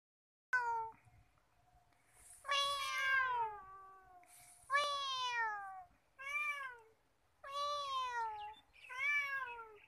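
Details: Talkative free-roaming male cat at Nigeen Lake, Srinagar, Kashmir, giving a run of drawn-out harmonic meows, each falling in pitch after a brief rise, about six calls spaced one to two seconds apart.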